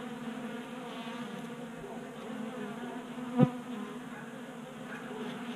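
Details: Several honey bees feeding at a 3D-printed tabletop feeder in a Colorado garage during a warm 60-degree January spell; a steady, low, droning wingbeat hum with overtones runs throughout, broken by one brief sharp knock midway.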